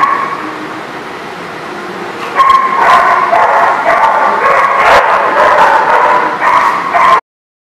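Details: Dogs at the Barking Lot, recorded 11/1/19, bark in a dense run after a quieter start, overlapping sharp barks and yips continuing for about five seconds before the recording cuts off.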